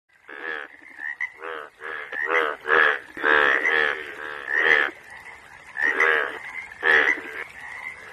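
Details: Yellow frog calling: a dense run of loud, nasal, bleating croaks, pulsed and overlapping, each burst under half a second, repeated almost continuously with brief gaps.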